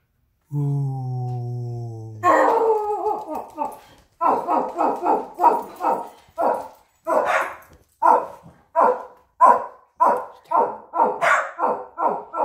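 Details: Jet, a pug puppy, indoors with his toy basket: a long steady tone gives way to a run of sharp, high barks, about two per second with short pauses, growing slightly more insistent toward the end.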